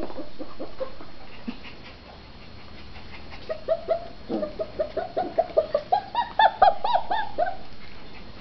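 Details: A red tri-colored female Australian Shepherd puppy, shut in her enclosure and wanting out, first gives a few soft whines and murmurs, then builds into a quickening string of sharp, high yaps that grow louder toward the end.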